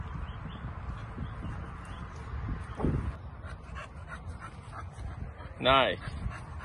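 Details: American bulldog Amethyst, a female dog up for adoption, recorded 3/8/2022; a single short, sharp harmonic yelp rises near the end over steady background talk and low rumbling room noise.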